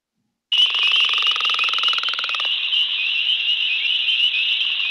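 A northern leopard frog gives a low, pulsed rattling snore over a dense, high spring peeper chorus.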